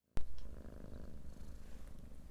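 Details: Pet domestic cat purring, recorded as a relaxing backdrop for a guided nap session: a soft, low, continuous rumbling purr with a gentle pulsing texture, opening with a sharp click.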